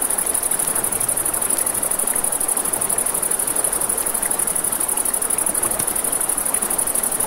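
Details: Crickets chirp in an unbroken high-pitched buzz beside a river at night. The crackling campfire and running water fill the lower range with a steady rushing noise throughout.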